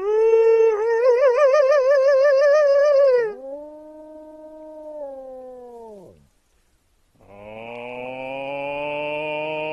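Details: Wolves howling: a long wavering howl with strong vibrato lasting about three seconds, then a lower, steadier howl that fades out, a brief silence, and a flat, overtone-rich howl at the end.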